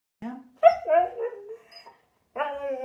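A Siberian Husky 'talks' in drawn-out, wavering woo-like tones, trading sounds with its owner.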